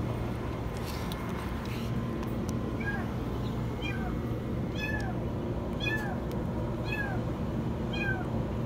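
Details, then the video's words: Kitten trapped inside a washing machine, meowing very high: a run of thin, falling meows about once a second in the second half, over a steady low machine hum. "Kitten stuck in the washing machine meow very high"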